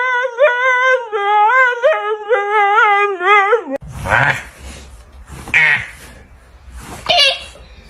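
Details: A dog making funny noises: a long wavering, whining tone with rising and falling pitch for nearly four seconds, followed by three short, rough, breathy yelps, indoors in a small room.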